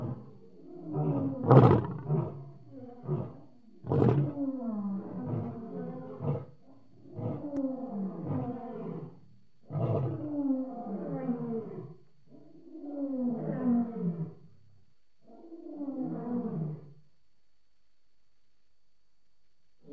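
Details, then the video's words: Lion, recorded July 2016, giving a full roaring bout: deep moaning roars, then a long string of shorter grunting pulses about every one to two seconds that grow quieter and farther apart until they stop. "Amazing lion sound"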